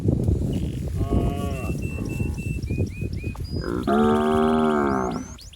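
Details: In a watery rice field where healthy cattle roam, a calf seeks its mother with a long, full, level moo near the end, preceded by softer lowing, while birds chirp and whistle briefly overhead.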